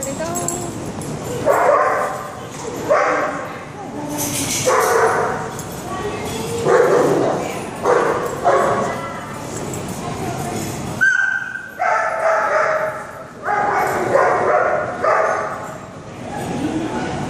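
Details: Otterhound Clodagh, a six-month-old female puppy over 70 lbs, barking and yipping during play time with bigger dogs; loud repeated barks in bursts, with a pause around eleven seconds, mixed with some human voices.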